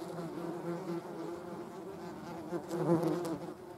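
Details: Wing buzz of German wasps, with a hornet also present, heard as a continuous low hum with layered tones; near the end the buzz swells and rises briefly as an insect moves close, then fades back.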